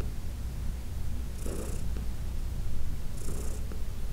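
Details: Low, even purr of Heidi, a 14-year-old cat from the Humane Society of New York City, enjoying a massage, with two short airy swishes riding over the rumble.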